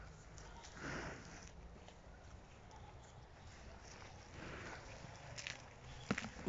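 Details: Black water buffalo out on a walk in England, giving two breathy, broadband snorts about three and a half seconds apart, with soft speech in Russian and faint rustling between them.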